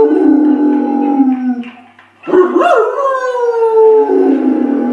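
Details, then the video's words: Howling dog with a low rough sustained tone, a short pause, then a sharp upward swoop into a long gently falling wail; faint music-like tones may sit underneath. "Dogs Howling Compilation"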